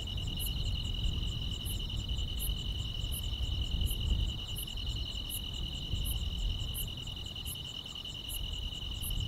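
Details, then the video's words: Grass insects chirping on a summer night: a constant shrill buzzing tone with a repeated high clicking chirp, set against a stronger low rumbling background noise. "여름밤의 포근한 풀벌레 소리"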